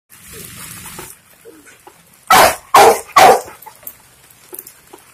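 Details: A nine-month-old Rottweiler gives three loud, deep barks in quick succession.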